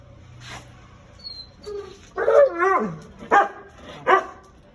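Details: An American Akita in Gurgaon gives deep, harmonic barks and a drawn-out, wavering vocal burst, followed by two sharp barks.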